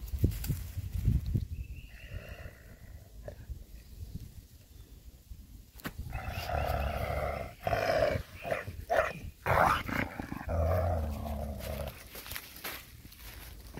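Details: Coyote, recorded May 13, 2021, growling as it grabs a person's glove after a fright; a brief higher whine-like tone, then a stretch of rough, broken growls and snarls with scuffling sounds.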